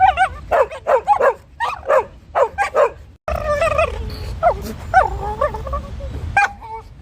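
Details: Beagle playing with another dog: quick runs of rising, harmonic yelping chirps, like a tape on fast forward, for about three seconds, then wavering whines and squeaks. A third dog watching the play barks.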